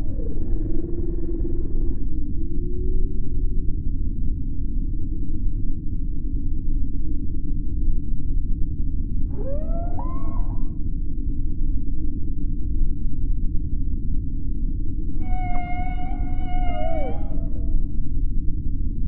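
Beluga whale calls: bursts of squeaky, sliding whistles over a heavy low rumble.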